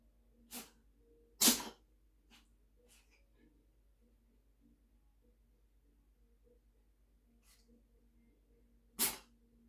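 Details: Black cat Sotis sneezing repeatedly indoors: a soft sneeze, then a loud sharp one, a few faint snorts, and a final strong sneeze near the end, against low steady room hum.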